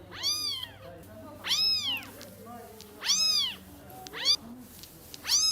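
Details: Pet cat giving five loud arched meows, rising and falling, some longer and some clipped short, irregularly spaced over a few seconds with faint background noise.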